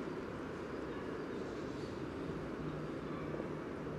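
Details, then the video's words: Common frogs calling over their spawn beside the yellow trail, Sunnersta, Uppsala, Sweden, captured with a Telinga parabola and Olympus LS14 recorder: a steady, thick murmur of low croaking purrs with no clear pauses. "Spelande vanlig groda vid gula stigen"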